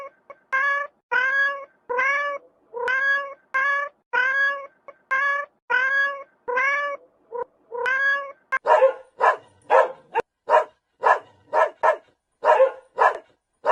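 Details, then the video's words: A cat gives nine steady, tonal meows over the first eight seconds. A dog then takes over with rapid, short, harsh barks for the rest. "Funny farm animals sounds: - Cat"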